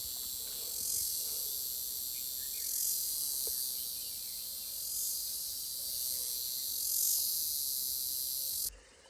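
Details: Cicada, known locally as jhyaukiri, calling in a Nepali jungle: a dense, continuous high-pitched buzzing drone that swells and fades in slow waves, cutting off abruptly near the end; faint low rustling underneath.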